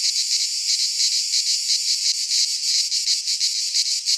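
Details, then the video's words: Midsummer cicada chorus in a Greek pine forest, a loud, hissing, high-pitched drone beating in quick regular surges, roughly three each second, unbroken for the whole stretch. "Cicadas singing in midsummer - Nature sounds from the Greek fauna - Sounds of cicadas"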